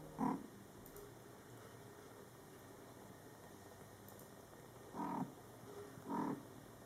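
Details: Low, short, chirping trills from mother cat Coco as she talks to her young Scottish Fold kittens, born July 22, 2012: one call, a long pause, then two more about a second apart.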